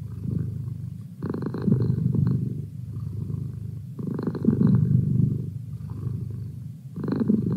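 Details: Male pet cat purring, low steady rumble that swells into louder bursts about every three seconds, with softer, thinner stretches of purring between them; no other sounds.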